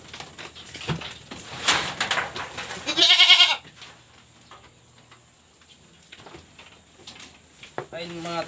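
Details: Pregnant goats on a backyard farm at feeding time with ipil-ipil leaves; one loud, quavering, harmonic-rich bleat of about half a second, then a fainter bleat near the end, with a man talking and clattering noises between.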